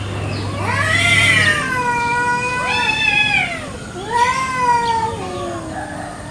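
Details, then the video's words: Garden-dwelling village cats in a morning fight over territory give a run of wavering, quavering yowls, each swelling then dipping, with a brief low hum at the start. "KUCING BERTENGKAR HEBAT BEREBUT WILAYAH"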